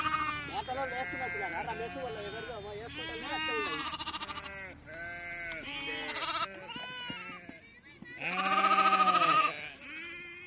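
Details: Flock of sheep gathered for PPR vaccination, lambs penned apart in a net: overlapping quavering bleats in quick succession, several callers at once, with human voices and music underneath.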